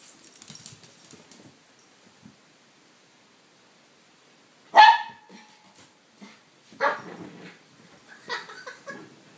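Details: Puppy in crazy playtime as Minnie antagonizes Mr Thomas indoors: rustling at first, then one loud sharp bark with a ringing tone, followed by two shorter rougher yips about two seconds apart amid scuffling.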